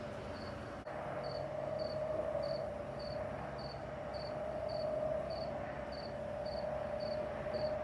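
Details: Crickets on a summer night in the American Midwest, in Missouri and Illinois, give short, high, evenly spaced chirps about twice a second over a steady lower droning hum of other night insects.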